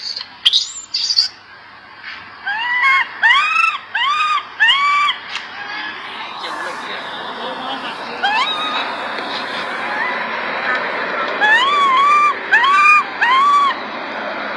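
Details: Baby monkey crying loudly while its mother grooms it; bursts of arched, rising-then-falling harmonic wails repeated in quick series, pausing, then resuming near the end, over a steady background hiss.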